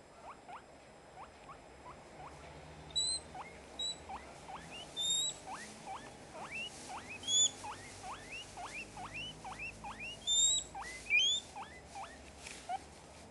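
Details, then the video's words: A female guinea pig screams for food, giving loud, rising squealed whistles again and again. "Sol - Porquinho-da-Índia"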